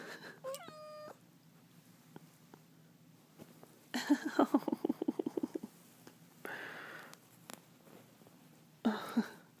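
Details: Savvy the cat in her morning routine of wanting to play fetch, climbing back on her owner's arm: a short rising mew, then a burst of rapid chirping trills and purring, with rustling and a later soft call indoors.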